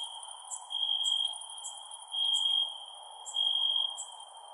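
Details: Crickets at night produce a clear high-pitched trill in swelling bursts, accompanied by scattered sharp chirps at an even higher pitch and a gentle low hiss.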